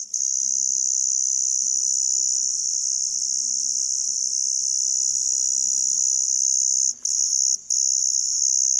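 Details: An Emma field cricket (Teleogryllus emma) keeps up a loud, high, ringing chirp with scarcely a pause; Emma field cricket.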